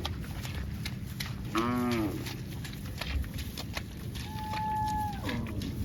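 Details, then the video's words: A cow gives one short, low, rough moo lasting under a second, with a steady thin tone later and a constant background hum and clicks. "Cow Mooing Sound"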